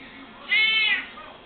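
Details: A female Siamese cat gives a single clear, arching meow, rising then falling over about half a second, talking to her owner to say she wants something, possibly cereal.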